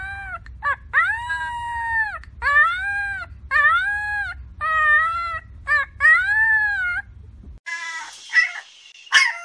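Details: Puppy howling in a series of short, arched tonal notes with rich harmonics, each rising then falling, separated by brief gaps; low rumbling background noise, then a noisier scratchy burst near the end.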